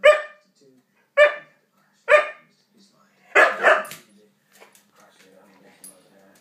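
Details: Husky barking while playing with a cat: three loud, harmonic barks about one second apart, then a doubled bark, followed by quieter rustling and faint speech.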